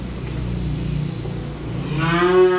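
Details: A calf unloaded from a truck gives one rising, nasal moo near the end, after a stretch of low engine hum.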